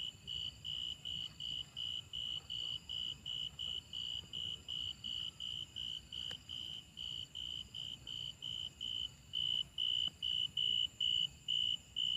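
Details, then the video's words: Rapid series of short, high, ringing chirps from grasshoppers, nearly thirty across twelve seconds, growing louder and slightly longer toward the end, with a sharp click midway and a soft low rumble behind. "The sound of grasshoppers"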